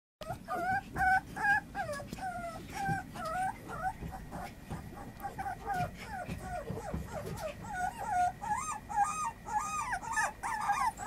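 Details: Female puppy, 30 days old, whimpering and squealing almost continuously: high, wavering, bending whines repeated several times a second with short gaps, growing denser and more insistent toward the end.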